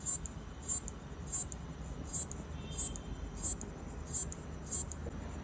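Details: A locust makes short, high, dry clicking bursts by stridulation, repeated about every half second, seemingly trying to communicate with its partner.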